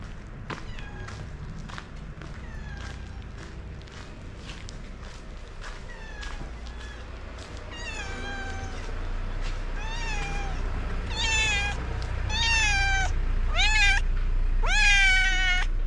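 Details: A stray tabby cat, called Tiger, calls to a person for food without leaving his place; after faint early sounds, several clear rising-falling meows come in the second half over steady low traffic-like rumble.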